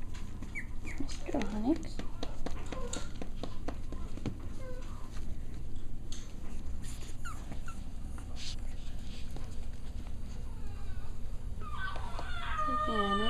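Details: Six-week-old Cavalier King Charles Spaniel puppies at playtime indoors, giving short high whimpers and squeaky yelps scattered through the scene, with a steady low hum, scuffling and a person talking.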